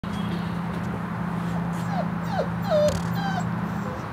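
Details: A huddle of Airedale Terrier puppies making faint, high, squeaky whimpers that slide downward, scattered through the middle seconds over a steady low hum.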